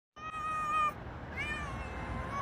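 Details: Cat giving two clear meows: a level, drawn-out tone, then a second meow that rises and slowly falls. It is fairly quiet with light background hiss.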